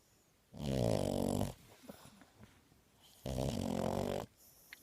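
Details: Awake French Bulldog snoring: two loud, rasping, low snorts, each about a second long and roughly two and a half seconds apart, with quiet breathing between them in a still indoor setting.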